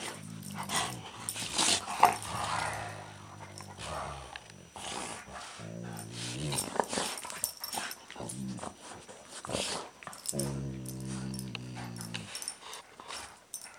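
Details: Twin six-year-old golden retrievers, Shim and Shake, playing tug of war with an old sock indoors; low, rumbling, harmonic growls come in three bursts of two to four seconds, with scuffling, snorting and rustling between them.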